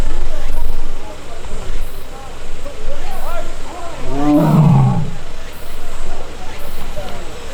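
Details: Young captive Korean tiger in the tiger forest of Baekdudaegan National Arboretum, South Korea, 1 August, annoyed and crying after missing its sibling: a low, drawn-out harmonic moan swelling mid-clip over steady low rumble of a nearby vehicle.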